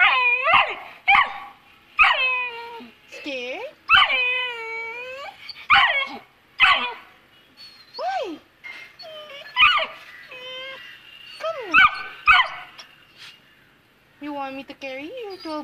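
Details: Two-month-old Saint Bernard puppy, scared of the stairs, cries in a steady string of loud, bending whines and yelps, some rising then dropping, with a woman's voice coaxing it to come.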